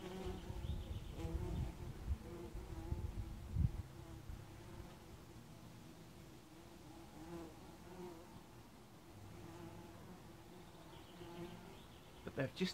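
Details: A swarm of bumblebees on a warm summer's day drones in a low, steady hum, several insects buzzing together and rising and falling as they pass.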